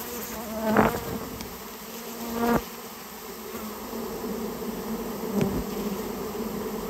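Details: Rare Japanese honey bees from a storehouse nest under removal, humming in a low steady drone, broken by three sharp knocks or taps spaced a couple of seconds apart.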